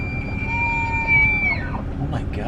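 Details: A rutting bull elk in Jasper National Park, near females across the road, bugles a presumed mating call: a long, high, whistled tone that holds steady, then slides downward at the end.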